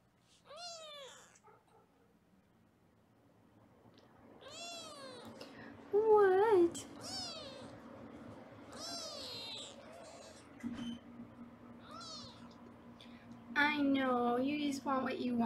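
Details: Foster kittens in Los Angeles meowing while being weighed on a live kitten cam; high, wavering meows rising and falling, spaced several seconds apart, with a woman speaking softly in a small room.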